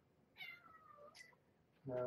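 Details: Indoor evening play time with Marge, a former stray mother cat, and her young kittens: a single drawn-out meow slides downward in pitch, followed at the end by a low human voice.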